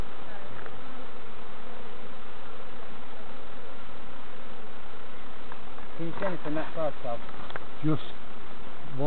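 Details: Continuous low droning buzz of bees during a hive check by novices at Summerwood Lane Allotments and Community Garden; people start speaking near the end.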